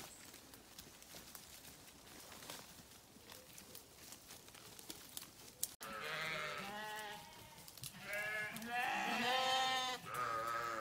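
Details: Sheep bleating after about six seconds of quiet rustling and noise: several wavering, harmonic-rich bleats follow one another, some high and quavering, others lower, growing louder toward the end.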